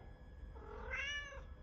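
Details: Domestic cat Charlie Chaplin talking back to its owner. A single meow climbs, peaks, then slides down within under a second, clear and harmonic over faint indoor hum.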